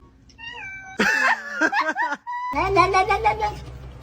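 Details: Domestic cat meowing: a few drawn-out, wavering meows with bending pitch, followed by a longer wailing cry, mixed with human voices in a small room.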